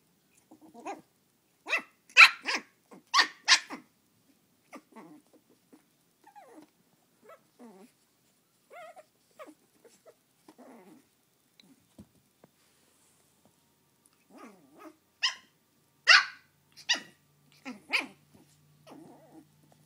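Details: Belle, a new Shih Tzu puppy, upset with her mini pumpkin indoors on Halloween, gives sharp high-pitched yapping barks in quick bursts, then quieter grumbling growls and snuffles, before another volley of shrill barks near the end.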